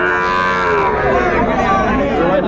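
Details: Sahiwal bull calves at a cattle market where Chattogram farmers buy stock, Bangladesh, 11 January 2025. A long, drawn-out moo with rich harmonics is partly masked by steady crowd chatter and nearby voices.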